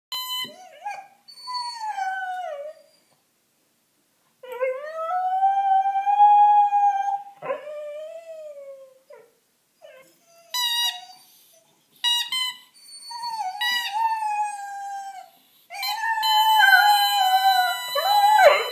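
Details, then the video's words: Five-month-old female Dalmatian puppy howling beside her squeaky toy bunny: wavering, mid-pitched howls that slide downward, broken by pauses, with sharp, high toy squeaks bursting in during the second half. "Dalmatian howling with her bunny"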